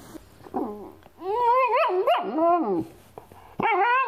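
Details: Pet Boxer dog indoors giving drawn-out, wavering whines and howl-like vocalizations that swoop up and down in pitch, in three bouts: a short one, a long warbling stretch, then a final rising cry.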